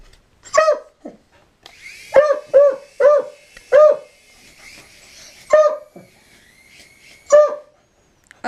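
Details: Dog barking at a helicopter indoors: seven sharp, loud barks with a few softer yips between, spaced about half a second to two seconds apart, a steady faint mechanical hum running underneath.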